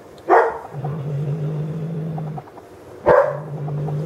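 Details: Agitated cat Eclipse, playing with feathers, alternates sharp loud hissing-yowl bursts with sustained low rumbling growls lasting about two seconds.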